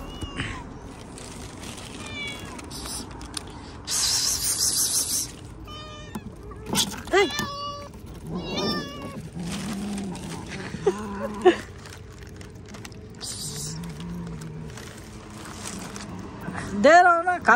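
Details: Cats being fed outdoors meow repeatedly, giving short rising-and-falling harmonic mews spread over the stretch, with a louder drawn-out meow at the end, while a person coaxes them in Hindi, plus rustling and thumps.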